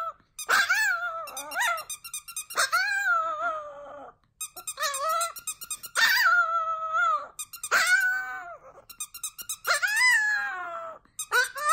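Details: Chihuahua named Cedric howling for the first time: a series of about seven loud, sustained, mournful howls, each swelling and then sliding down, separated by short gaps with light pulsing sounds.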